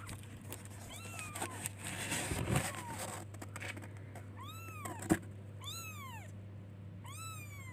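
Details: Kittens calling for their mother with high arched meows, each rising then falling, bunched in a rapid series near the end; a steady low electrical hum and some handling noise run underneath.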